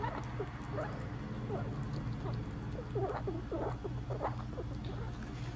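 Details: Pet rat eating a hard-boiled quail egg, recorded on 4 July 2022, giving soft, short squeaks and chirps among steady chewing and pattering sounds over a low indoor hum.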